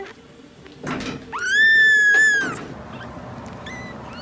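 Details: Cat giving one drawn-out, steady meow lasting about a second, flat and slightly wavering before falling away, preceded by dull knocks and thumps, with a faint short chirp near the end.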